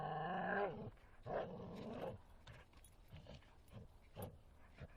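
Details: Bull Terrier Martin playing in the forest opens with a loud, high, tonal whine lasting under a second, then quieter short growls and scuffles follow irregularly.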